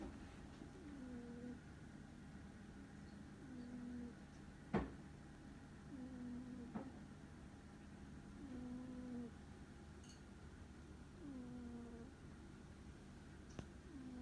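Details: Snoring of Ku, a pet cat sound asleep indoors: low, tonal nasal snores rising then leveling off, repeating roughly every two and a half seconds, about six in a row, with faint room hum and a couple of sharp clicks.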